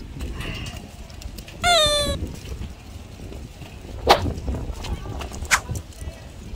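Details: Pet Shetland sheepdog Yoon-i, fearful of the wind on a blustery day, lets out a brief, high, wavering whine, followed by scattered clicks and thumps amid wind noise and quiet human speech.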